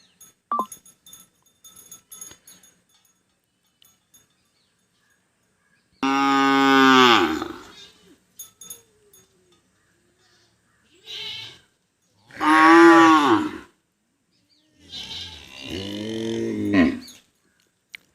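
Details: After a few faint clicks and knocks, a cow gives three loud, hoarse moos about three to four seconds apart. Each lasts a second or more and bends upward in pitch before fading. A short quieter sound falls between them.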